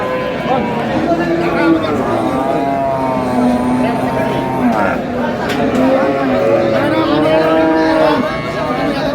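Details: Cows with calves at Ambari cattle market in Dinajpur, Bangladesh, on April 24, 2026. Drawn-out, low, tonal moos rise and fall in two long calls over a steady din of market chatter and voices.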